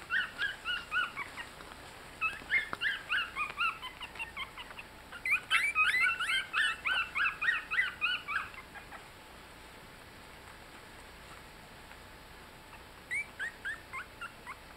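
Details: Eighteen-day-old Yorkshire Terrier puppies just learning to walk give bursts of quick, high-pitched squeaking whimpers, loudest in the middle stretch, then a long quiet gap before a short final flurry of squeaks.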